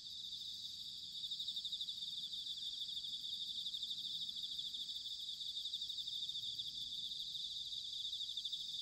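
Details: Bell crickets in autumn at Sanuki, Chiba, Japan, heard somewhat faintly: continuous high, shimmering pulsed ringing over a soft low rumble of background noise.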